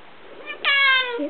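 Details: Lugosi, a pet cat indoors, begging for prawns: one loud drawn-out meow with many bright stacked harmonics, holding steady for about half a second before falling away at the end.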